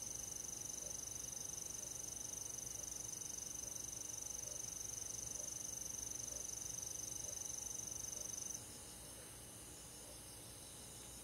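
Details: Insect chorus of crickets in a countryside forest on a summer night: a continuous high-pitched shrill trill that cuts off after about eight and a half seconds, leaving a quieter, softer hum of insects.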